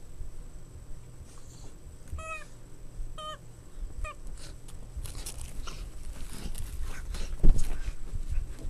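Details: Boston Terrier puppies at play give three short, high yips about a second apart, followed by scuffling, thumps and light rustling noises.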